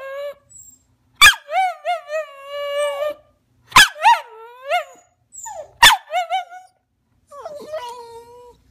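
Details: Whining rat terrier named Maggie, asking to jump on the couch: three sharp yelps each followed by a wavering, bouncing whine that rises and falls in short pulses, ending in softer whimpers.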